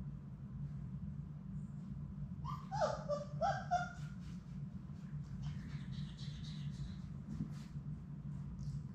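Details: Labrador Retriever puppies, a litter of six, at play in their indoor puppy play room: a short run of high, thin whining yelps and whimpers over about two seconds, then soft scuffling and paw clicks above a steady low room hum.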